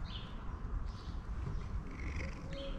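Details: Two affectionate stray cats in a blind alley in Istanbul, competing for attention and love; a steady low purring rumble runs throughout, with faint higher chirps or distant birds above.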